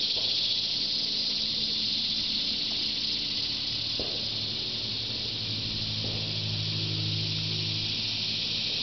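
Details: At Shawangunk Grasslands National Wildlife Refuge on a mid-August noon in 2009, cicadas fill surrounding trees with a continuous shrill buzzing wall of sound, constant in loudness, with faint low rumble beneath.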